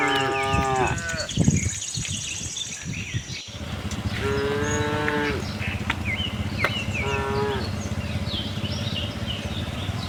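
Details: Cattle herd on a farm searching for grass: a strong moo opens, then two more after a pause, the later ones shorter, while small birds chirp and a low rumble runs underneath.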